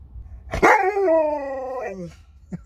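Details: Alaskan Malamute Sherpa vocalizing as the family's daughter says goodbye and leaves: a single drawn-out harmonic howl-whine, rising sharply and then sliding slowly downward over about a second and a half, with a man's voice nearby.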